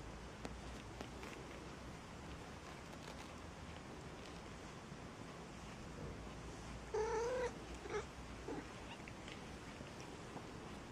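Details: Maine Coon kittens at a cattery in Saint Petersburg, Russia; one thin, clear meow that holds a steady pitch, then a shorter second mew a moment later, over a low constant background hum.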